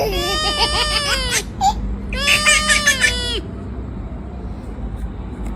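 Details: Cat vocalizing when touched, giving two long, wavering harmonic meows of over a second each with a slight tremble, the second ending in a falling slide, followed by quiet with faint background hum.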